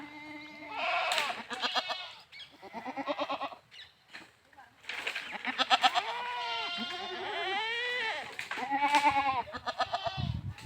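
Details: Several goats, or bakra, at a goat farm in India bleating almost continuously, overlapping nasal wavering calls, some pulsed and stuttering, others drawn out and rising then falling, with brief quieter gaps.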